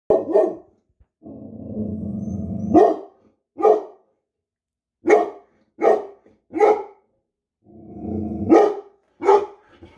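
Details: Rhodesian Ridgeback with hackles raised, giving sharp single barks spaced about a second apart, broken by two long, low rumbling growls that end in a bark.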